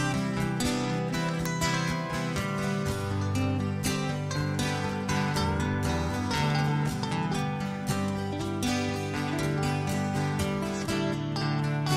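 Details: Plucked acoustic guitar music plays steadily throughout, with no animal sound.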